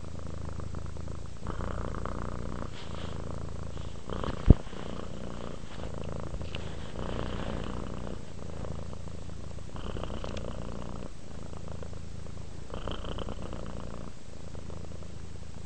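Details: Domestic cat purring while relaxing, a steady low rumbling purr in breaths of a few seconds each, with one sharp click near the fourth second.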